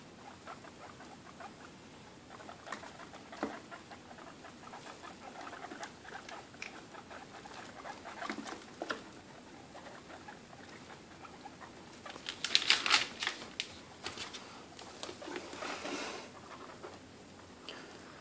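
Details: Young guinea pigs, two and a half weeks old, having their dinner indoors: dense, rapid crunching and pattering clicks throughout, rising to a louder burst of sharp gnawing near the middle before settling back.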